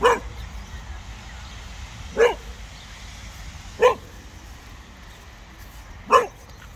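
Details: Casper, a Cocker Spaniel dog, barking at a very small snowman in a park, tail wagging: four sharp single barks spaced about two seconds apart over a low outdoor rumble.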